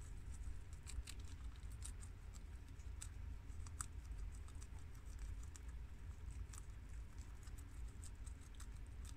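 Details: Two male and two female pet guinea pigs crunch on fresh garden romaine lettuce; scattered crisp clicks and small chewing snaps repeat irregularly, several per second, against a low steady rumble.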